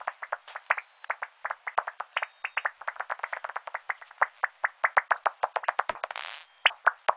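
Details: A migratory bat species that travels to the southern United States in late October gives a steady train of sharp echolocation ticks, then a rapid buzzy, higher-pitched burst as it catches an insect.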